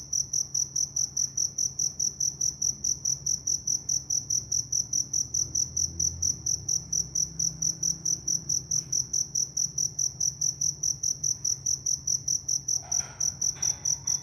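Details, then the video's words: A cricket in the Vietnamese countryside in the evening chirps steadily, a high, bright pulse repeated about five times each second. "Cricket Sound Effect Vietnam"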